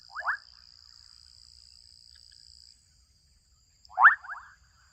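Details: Young frogs in a Kenyan wetland give two brief, pulsed, rising croaks about four seconds apart, each trailing into a softer rattle. A thin high whine runs through the first half, then drops away.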